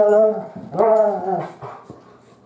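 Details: Biscotti, a female Great Pyrenees puppy almost 3 months old, gives two drawn-out tonal whines, the second rising sharply and then sliding down before fading into quieter sniffs.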